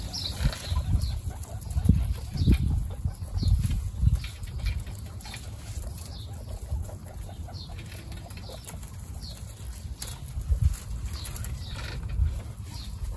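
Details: Guinea pigs in a household herd of 29 meet the babies Snow, Pistachio and Pumpkin for the first time. Short high squeaks, some sweeping upward, repeat irregularly over steady low rustling and shuffling.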